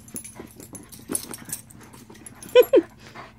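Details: Rainbow the Shiba Inu, with a dog named Ringo showing how he shares: after quiet shuffling, two short, loud, whining notes drop quickly in pitch, one right after the other.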